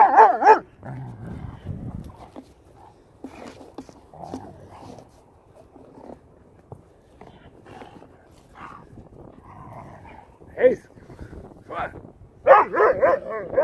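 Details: Doberman Pinscher playing rough in the snow in Queens, New York; loud bark-like bursts open and close the stretch, with low growling, grunts and scattered short rough vocal bursts in between.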